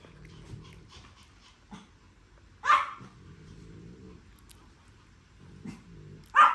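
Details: Male Pomeranian puppy with orange coat, sire a champion: two sharp, loud barks about four seconds apart, with low growly rumbling between them.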